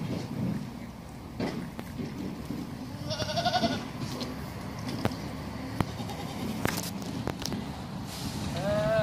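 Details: Bishi goats, a herd of nineteen, with two wavering, harmonic bleats, one near the middle and one at the end, over steady broadband noise and scattered clicks and knocks.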